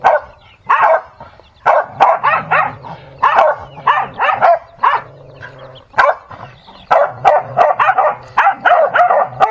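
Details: Dog during a fight, letting out choppy bursts of harsh barks and snarling yelps, separated by short silent gaps, the clusters growing faster and denser toward the close.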